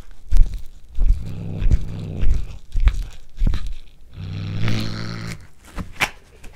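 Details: House cat tasting corn for the first time and growling as it eats, recorded indoors on a Panasonic DC-GH5. Two low, throaty growls of about a second each mix with sharp crunches and chewing clicks.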